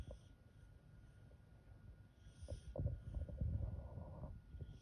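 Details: A Welsh Corgi sleeping in the daytime snores with deep, throaty rumbles and snorting breaths that swell and fade irregularly, growing louder toward the end, over a faint background hiss.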